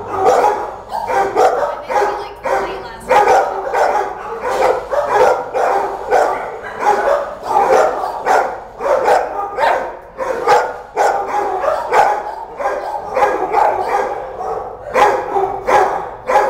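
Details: A shelter dog barking nonstop: loud, rough barks come roughly once a second, sometimes in quick doubled bursts, and echo around a hard-walled room.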